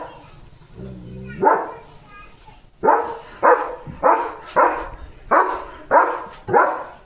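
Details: A woman speaks briefly in Marathi before German Shepherd Leo breaks into a steady series of about eight forceful barks, roughly one every half second, directed at another dog he saw outside.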